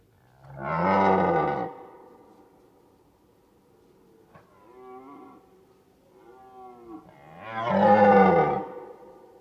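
A deer gives deep, rough, drawn-out bellows, with softer moaning calls between them.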